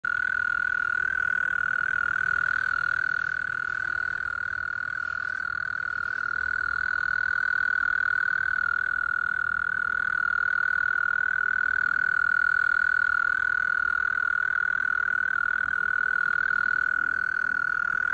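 A mole cricket sings a steady, low, purring churr that runs without a break.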